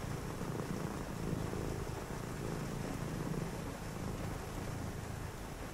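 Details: Short stretch of a domestic cat's purr during a rainy night, low and continuous with a soft pulsing rhythm beneath a rain wash.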